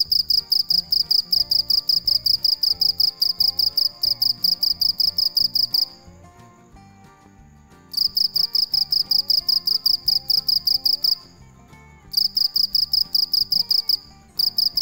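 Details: Night-time cricket chirping in long trains of rapid, shrill pulses, broken by pauses of a second or two, while gentle instrumental music continues underneath throughout.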